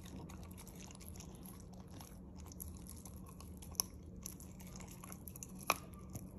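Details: A corgi chewing chicken, with soft crunches and occasional sharp bites over a low steady hum.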